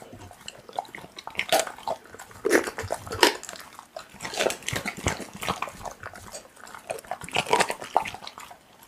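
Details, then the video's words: Pit bull eating raw meat, close ASMR-style recording: wet, crunchy bursts of chewing come in uneven clusters, with short quieter gaps between bites and no other clear sounds. "Pitbull eating raw meat Asmr"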